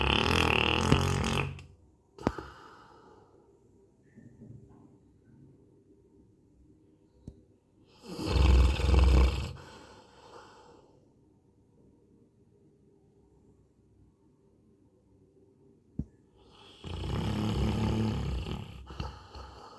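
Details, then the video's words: Coco, a Labrador Retriever, asleep and snoring: deep, rasping breaths, the loudest about every eight seconds, each a low rumbling rush lasting one to two seconds, with quieter breathing between in an indoor setting. "Coco kaise kharate marke sote"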